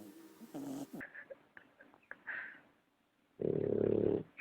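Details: Sleeping puppy, soft clicks and small snuffles first, then after a short silence one loud, rough, nasal snore with a faintly squeaky overtone lasting almost a second.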